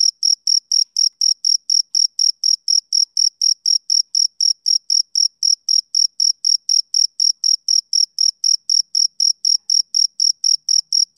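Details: Chirping male cricket, summer evening. High, thin pulses follow one another at about four per second in an unbroken, even sequence over a completely quiet backdrop.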